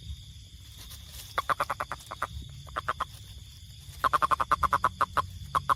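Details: Toad producing runs of rapid, evenly spaced clicky croaks, building to a fast string of about a dozen notes near the end, with a steady high whine and low rumble behind.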